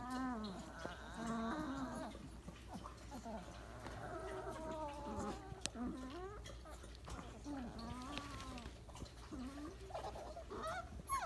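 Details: Weimaraner puppies at day 28, piled together for a nap after breakfast, giving soft high whines and squeaky whimpers with rising and falling tones, scattered across the clip.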